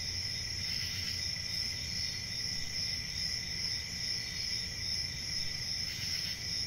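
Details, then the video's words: A dense cricket chorus rings on without pause, two shrill stacked tones holding level throughout, a brief brighter swell near the end, over a faint low background hum. "Cricket Sounds"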